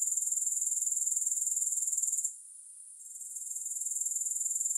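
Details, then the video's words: Grasshoppers in a long relaxation recording with no music: a continuous high, shrill pulsing trill, about four pulses a second, briefly fading out near the middle before returning. "3 Hours of Grass Hopper Sounds"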